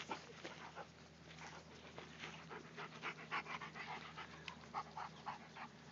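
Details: Black Labrador puppy playing with a large German Shepherd–Lab mix: rapid, breathy panting and huffing in quick irregular bursts, several per second, with soft scuffling indoors.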